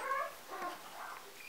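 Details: Three-day-old Golden Retriever puppy from a litter of seven, held by children on a Vermont country farm, gives a brief high whine with clear overtones at the start, then quieter soft whimpers under faint room noise.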